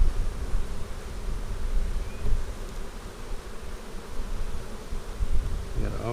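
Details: Honey bees humming during an April 15, 2017 inspection of a colony split made March 4; a steady, low, rumbling drone fills the hive throughout, with a brief human voice at the very end.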